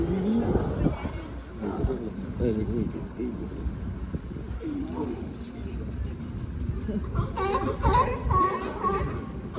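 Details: California sea lions at Pier 39, San Francisco, give harsh, honking barks in irregular bursts, with people talking nearby.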